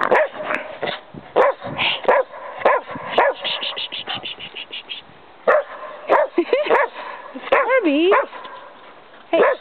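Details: Kerry Blue Terriers playing outdoors in snow give short, harmonic barks and yips in scattered bursts, mixed with a person talking and calling to them in a playful voice throughout.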